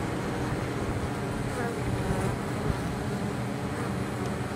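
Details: Honey bees fly into the hive with pollen and probably nectar on 23 October, in exceptionally mild weather, from cover crops in nearby fields. A dense, steady, low hum of many wings runs throughout, with no breaks or distinct rhythm.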